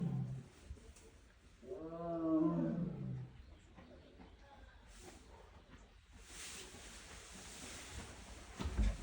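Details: Tiger roaring once: a deep, rich, pulsing roar lasting about a second and a half, then quiet while onlookers talk in Korean, with background rustling.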